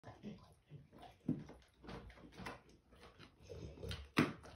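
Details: Slobbering Dogue de Bordeaux mastiff eating and foaming at the mouth, giving wet smacking and slurping bursts at irregular intervals with short quiet gaps, plus a couple of sharper louder slaps.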